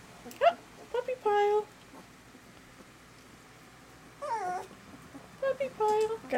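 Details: Sweetie's litter of eleven 18-day-old puppies, eyes open, well fed and walking around, give short high whining squeals that bend downward, three bursts separated by quiet pauses, with a woman talking softly nearby.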